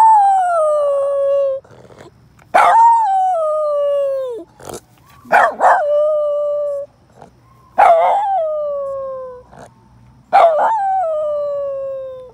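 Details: Teddy, a red miniature poodle, howling at other dogs: long falling howls, each opening high and sliding down, repeated about every two and a half seconds, with a second dog answering in the gaps.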